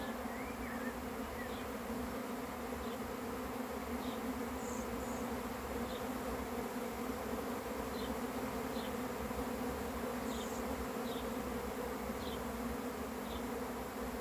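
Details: Many honey bees of an arriving swarm produce a loud, unbroken buzzing hum; behind it a bird repeats short high chirps about once a second, with a few higher whistled notes.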